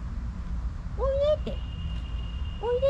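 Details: Stray cream tabby male kitten and a slightly older female kitten from the same stray group in Japan, calling: two short rising-then-level meows about one and a half seconds apart, over low rumbling background noise.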